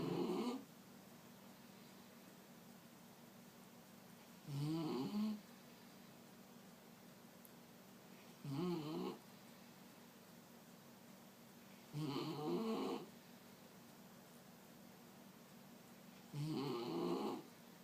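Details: Picasso, a pet Mexican hairless dog, snoring indoors: rough rasping snores about every four seconds, each lasting under a second, with quiet pauses between them and a steady low hum behind.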